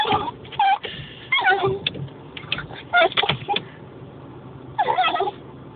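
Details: Dog barking at windscreen wipers: sharp, high yelping barks with tonal rising whines, in three bursts separated by short pauses.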